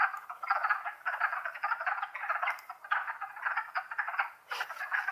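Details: Wood frog chorus in Longkill Woods in spring, April 2014: many overlapping low clucking, duck-like croaks form a dense continuous rattle, with brief lulls between swells.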